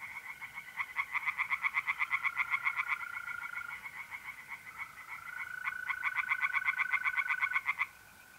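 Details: Two long bouts of quick, rattling tree frog calls from a pond in North-East Italy on a mid-April night, pulses evenly spaced, with a steady mole cricket trill running behind.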